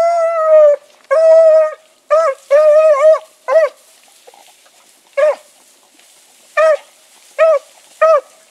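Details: Dog pups Sassy and Magnum in training alongside Ringo and Boone: clear tonal howls with rich harmonics, two long drawn-out cries followed by shorter wavering, bending howls spaced irregularly, with quiet gaps between.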